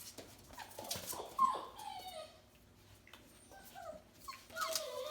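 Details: F1B Bernedoodle puppies, four weeks old, playing indoors; soft, high whimpering squeaks that bend downward in short slides, with scuffling and quiet pauses between them.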